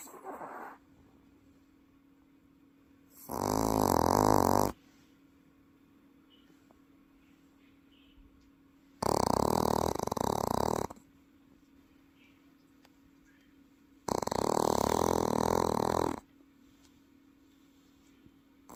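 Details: Sleeping Welsh Corgi in Paju giving three long, loud, rattling snores roughly every five seconds, each about one to two seconds, deep and human-like, with a quiet indoor room between them.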